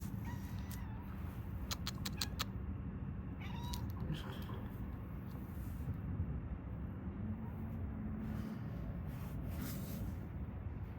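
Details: Domestic cat giving a short, soft meow partway through, then a lower drawn-out note later, over a steady low hum with a few quick tapping clicks near the start.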